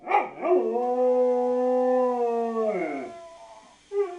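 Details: Dog howling: one long, smooth, sustained tonal howl lasting about two and a half seconds, holding a steady pitch before sliding down and fading, followed by a brief short yelp at the end.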